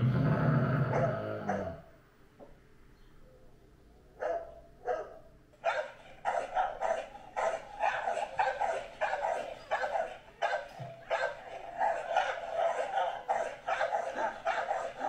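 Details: Great Dane giving a long run of deep, punchy barks, nearly two a second, after a brief louder noise and a quiet pause at the start.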